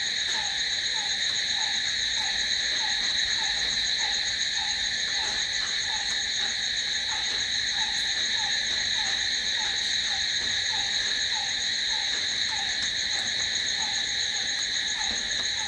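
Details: Long, unbroken nocturnal cricket chorus: a piercing steady trill in several high bands, with a low short chirp repeating at an even pace of roughly two per second throughout.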